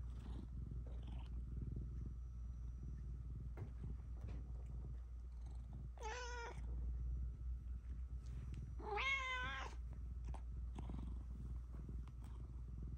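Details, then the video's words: Pet cat during a therapy session indoors, a continuous low purr under two clear harmonic meows near six and nine seconds, the second longer and wavering. "Cat therapy session in progress"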